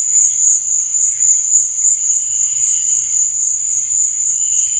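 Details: Night chorus of crickets: a steady, shrill, continuous high trill, with softer lower chirps pulsing underneath and no pauses.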